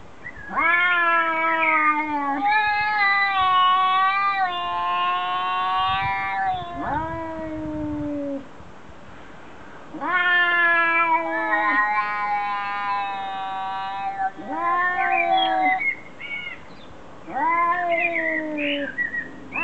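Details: Domestic cats arguing: long drawn-out wailing yowls with rising and falling pitch. They come in overlapping bursts of two to three seconds, separated by short quieter gaps, and the yowls grow louder and more urgent near the end.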